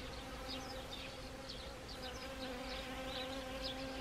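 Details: Honeybees foraging on Siberian chrysanthemum flowers in autumn, Gangwon Province, South Korea, 1 October 2020. Soft, steady low hum with a faint higher overtone, and scattered thin high chirps in the background.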